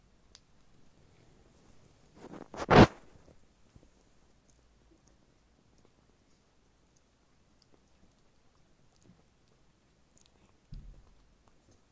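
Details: Quiet room with a loud rustling crunch near the third second, a softer thump near the end, and otherwise near silence, with no animal voice.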